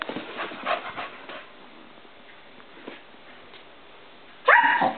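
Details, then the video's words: Poppy, a pet dog, is fixated on light reflecting on a wall. Faint scuffling comes first, then a long quiet stretch, and finally one loud, sharp bark. "Poppy - Barking At Light Reflecting On Wall"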